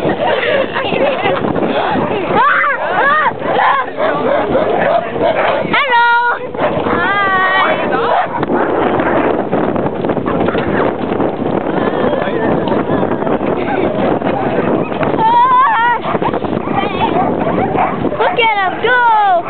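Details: Sled dogs at a summer sled dog camp in Alaska, excited and loud before a sled ride: a dense, continuous din of barks with rising and falling yelping howls breaking through, mixed with people talking nearby.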